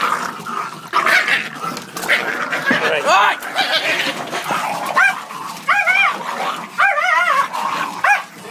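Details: Four dogs brawling in a fight started by a fox terrier, with a blue Staffy joining in; sharp rising-and-falling yelps and yips come in quick bursts over a constant scuffling din, with human voices shouting underneath.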